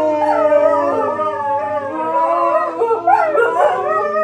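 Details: Two pet dogs howl along to the M*A*S*H theme song, a habit learned from their owners singing off key to it. Long, wavering, overlapping howls slide up and down, with the theme music playing quietly underneath.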